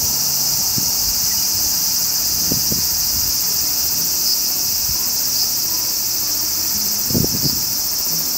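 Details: Continuous high sizzle of a large brown cicada, the aburazemi of Japanese woodland in summer, holding level throughout, with a few low dull knocks near the start and again toward the end.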